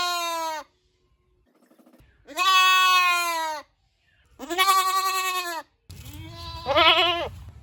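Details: Goat producing a sequence of long, trembling bleats, three clear cries with pauses, the last one rising and wobbling over a low background rumble.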